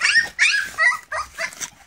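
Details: Feeding English Springer Spaniel puppies, AKC-registered, crying out in four or five loud, quavering whines and yips, each rising then dropping in pitch, packed closely together in under two seconds.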